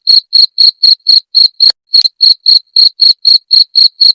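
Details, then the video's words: A cricket chirping, heard in a rat-repelling recording. Crisp high-pitched bursts repeat quickly and evenly, about sixteen in four seconds, broken once by a brief pause. "Suara Jangkrik pengusir tikus"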